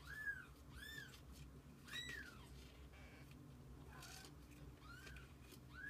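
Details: High arched mews from kittens kept with their mother cat, about six short rising-then-falling calls spread across a few seconds, with a low background hum.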